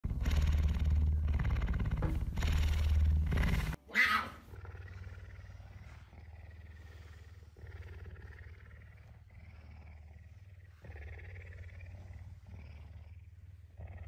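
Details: Tame puma, hungry and eager for breakfast, affectionate on a Tuesday morning after waking earlier than usual; a loud, steady low purring rumble for almost four seconds, then a softer continuous purr with faint rustling.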